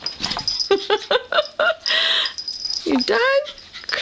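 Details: Pet Yorkshire Terriers playing with each other indoors: a quick run of short, high yips with bright overtones, a harsh noisy burst, then a whine that dips and rises, with a person's voice nearby.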